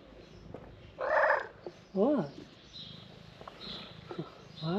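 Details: Tabby cat calling to people after seeing his frightened stray friend; two or three short arched, rising-then-falling meows with clear harmonics, mixed with a person's voice calling to it and background noise.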